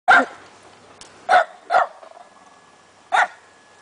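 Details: A pet dog barking loudly: four short, sharp barks spaced unevenly over a few seconds, with a quiet background between them.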